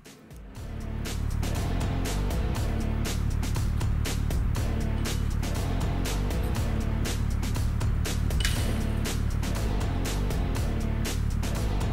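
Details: Loud rhythmic music with a steady beat and deep bass plays throughout, with no animal sound.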